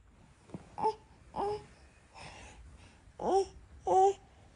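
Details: Norwegian Forest Cat, a cat that stays close to its owner, giving five short harmonic meows over about four seconds, the first three fainter, the last two louder with a bending, chirp-like rise, in a quiet room.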